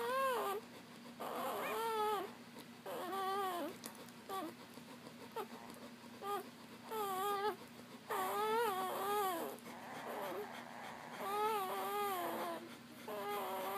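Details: Newborn Papillon puppies nursing at their mother's breast after birth; high, wavering whines and squeals with bright harmonics, rising and falling in bursts every one to two seconds, a low steady hum beneath.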